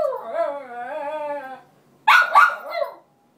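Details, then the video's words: Roxy, a Cairn Terrier, cries to get her bed by the radiator back from another cairn; a long wavering whine with stacked tones for about one and a half seconds, a pause, then one harsh bark. "Roxy the cairn crying and barking to get her bed back."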